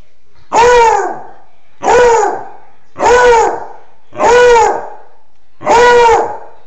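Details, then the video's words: A beagle at a front window gives five loud, drawn-out baying howls about a second apart, each slightly falling in pitch, howling at sirens and passers-by after scaring off a Foxhound beside it. "Beagle Dog Baroo at Front Window Howling at Sirens"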